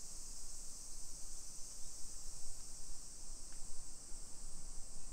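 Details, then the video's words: Cicadas singing in summer along a modern suburban neighborhood near Nagoya, Aichi, Japan, early afternoon, 28 July 2021; continuous high-pitched droning chorus without pauses, with low rumbling noise underneath and a faint brief click near the end. "Summer Cicadas Sounds"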